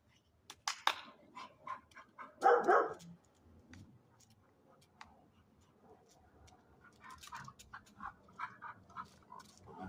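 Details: A dog gives a run of short, high, whimpering yips, with one louder, harsher burst early on, then more thin whines scattered across the rest, over a quiet background.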